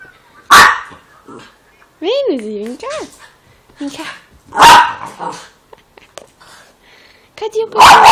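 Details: A female Schnauzer indoors, curious about a dog crying from a phone, gives sharp, loud barks spaced a few seconds apart. A wavering whine comes from the phone, and a woman keeps talking to her in Portuguese.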